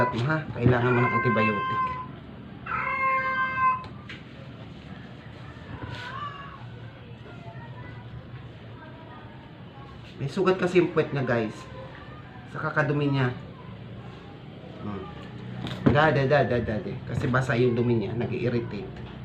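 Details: Stray cat, sick and dying, force-fed to keep it alive: two short strained meows open, followed by a long stretch of a person talking, with more brief cat cries mixed among the words.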